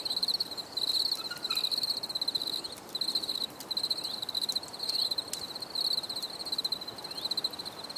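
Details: Crickets chirping in nature, a relaxation recording: high-pitched pulsed trills in bursts roughly every second, with short breaks between groups and faint rustling in the background.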